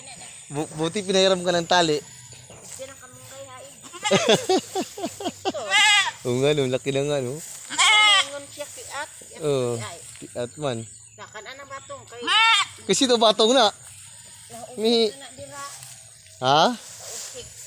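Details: Several goats in Mindanao, Philippines, bleating almost without pause, overlapping wavering calls of varied pitch, some high and thin, others deeper and longer.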